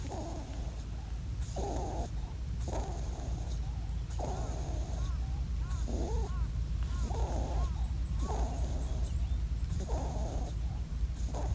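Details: A wild, wounded European rabbit on Ōkunoshima (Rabbit Island), Hiroshima, Japan, seems to plead desperately, giving brief, soft, muffled nasal grunts about once per second over a constant low rumble like wind or handling noise.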